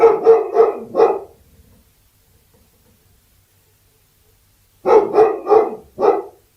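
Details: Labrador Retriever barking: two bursts of four quick, harsh, loud barks each, separated by roughly three and a half seconds of silence, with no other sounds.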